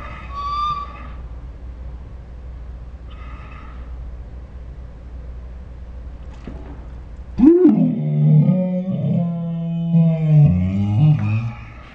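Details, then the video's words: Pet Saint Bernard, Ours, 'talking' in dinosaur-like sounds: two brief high whines, then a loud rising yelp that falls into a long wavering, throaty groan lasting about four seconds, indoors. "My Saint Bernard makes dinosaur sounds"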